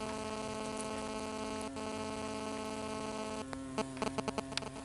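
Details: Hornets agitated at a nest they built after chewing through a tarp over a woodpile, giving a steady, low droning buzz followed by a few sharp tapping clicks, with a person sitting calmly beside them.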